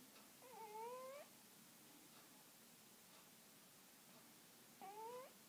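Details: Pim, a Siamese cat, snoring loudly: two tonal, whistle-like breaths with stacked harmonics, each about a second long and rising slightly, spaced roughly four seconds apart over a faint background hiss.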